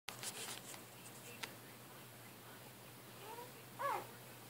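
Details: A one-day-old male blue merle Great Dane puppy (Canis familiaris) gives a soft whimper, then a brief, high, wavering squeal.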